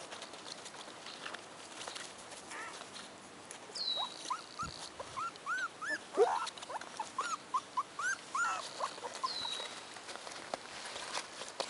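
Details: Four-week-old American Hairless Terrier puppies give a run of short, high, arched whimpers and squeaks, roughly two each second, growing busier midway, with faint chirps in the background.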